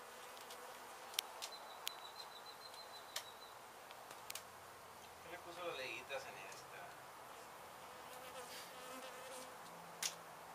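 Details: Disturbed honey bees at a demolished abandoned house in Mission, Texas, during removal of their hive and old comb. A thinner, even background hum, broken by repeated sharp clicks and knocks and a brief clattering burst near the middle.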